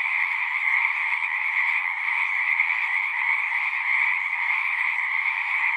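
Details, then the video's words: Frogs chorusing at a pond in a horse pasture, recorded on a Zoom recorder: a dense, unbroken trilling wall of many overlapping callers, steady in loudness, with a bright band near the upper range and a lower band beneath. "Frogs singing - 1 hour of natural sounds"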